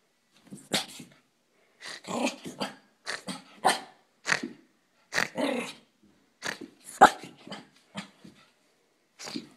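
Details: Female pet dog named Poochie inside a house, racing through the upstairs bedrooms to burn off excess energy: short rough growly huffs and brief barks in irregular bursts, separated by short silences.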